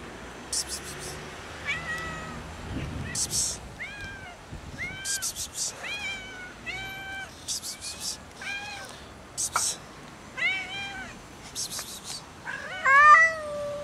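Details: Angry domestic cats fighting and arguing over food: a series of short, drawn-out harmonic meows and yowls, often rising then falling, repeated every second or so, with quieter background noise between calls.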